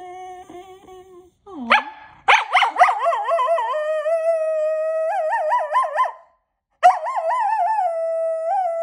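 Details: Pet dog howling as a morning greeting, a long wavering sung howl with rippling pitch, holding steady then breaking off and resuming with a short gap, after a short low note and a rising yip at the start.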